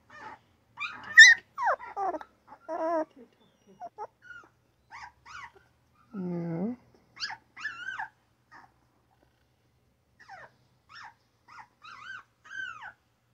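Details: Newborn puppy yawning, then letting out little grunting squeaks, scattered high whines and a low buzzy grunt, with quiet gaps between the sounds.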